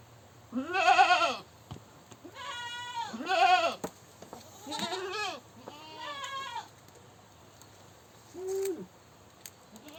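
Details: Goat screaming in a rapid series of about six wavering, nasal bleats, some loud and shrill and others softer and lower, with short gaps between calls.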